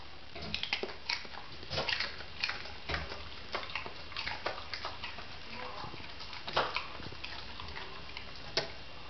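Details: Homer the English Springer Spaniel, a pet dog eating a leftover carrot indoors, chews steadily: rapid irregular crunches and clicks, several louder cracks every second or two, with a person's voice softly praising him.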